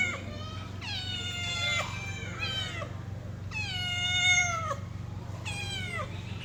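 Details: Domestic cat giving loud, drawn-out meows, about four in the clip, each starting high and sliding down in pitch, with a steady low hum underneath.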